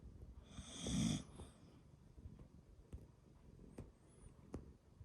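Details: Sleeping pet dog sharing a home with a cat gives one loud, rough snore near the start, followed by soft breathing and a few faint clicks in a quiet room.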